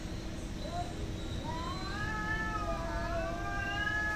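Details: Cats fighting and hating each other: a long, wavering, whining yowl swells from a short whine into drawn-out rising and falling moans, over a steady low hum and broadband background noise.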